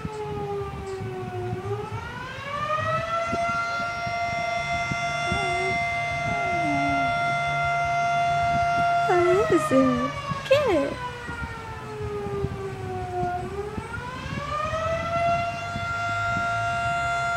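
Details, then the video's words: Missy, a pet puppy, howling in response to a fire siren: wavering, sliding howls rise and fall in short bursts over a loud, steady, harmonic siren tone that climbs, holds and drops again. "Missy howling at the Siren"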